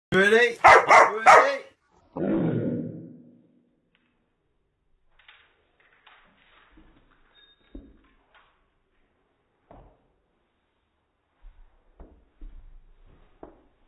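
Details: A Cardigan Welsh Corgi trying to play catch gives a quick run of sharp, loud barks, followed by a longer fading bark.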